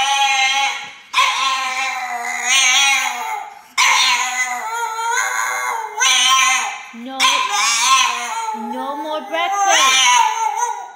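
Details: A chubby French Bulldog on a diet grumbles in long, wavering, whiny growls, each lasting a second or two, protesting after breakfast is gone.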